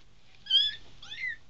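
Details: A three-week-old bobtail kitten, one of a five-kitten litter, lets out two clear, high, thin mews in quick succession, the first louder and level, the second bending downward, over a quiet room.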